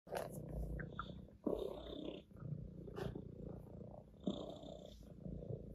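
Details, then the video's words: Orange tabby domestic cat purring while lying on its owner's lap: a low, continuous rumble with soft rustling and scattered handling clicks and brushing noises over it. "the cat purrs on my lap"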